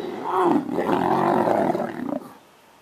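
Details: Captive lions at Linton Zoo during mating: one harsh, rolling roar-growl lasting about two seconds, rough and throaty, fading off abruptly into quiet.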